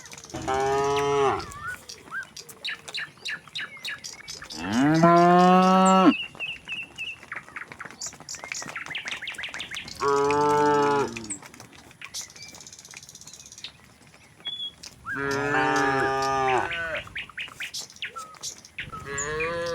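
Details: Tame cows walking along a village road to the pen: five loud, long harmonic moos, some rising then falling, roughly every three to five seconds, over constant bird twittering and chirps.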